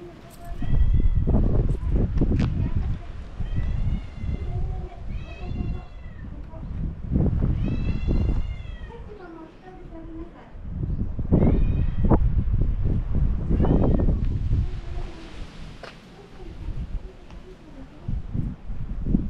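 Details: Domestic cat threatening a dog, recorded live. It gives drawn-out wavering yowls in several bouts over about twenty seconds, over heavy low rumbling noise and some background voices.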